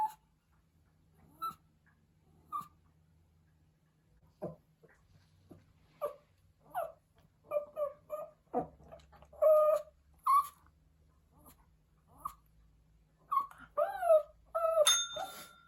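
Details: Pomeranian puppy howling indoors while missing its mother or owner: a series of short, whining cries, some rising then falling, spaced irregularly and growing more frequent and louder toward the end, in a quiet small room.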